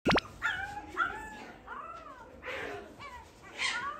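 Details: Shiba Inu puppies eating weaning food for the first time: several short, bending whimpers and squeals, rising then falling, overlapping one another, plus a sharp click at the start.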